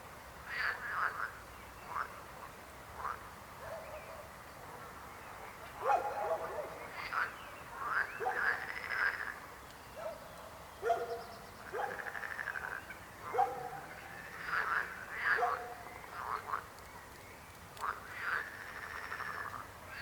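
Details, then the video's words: Frogs croaking in a loose chorus, short rasping bursts overlapping irregularly, some louder calls standing out from quieter ones across the whole stretch. "Rechot żab. Croaking frog sound."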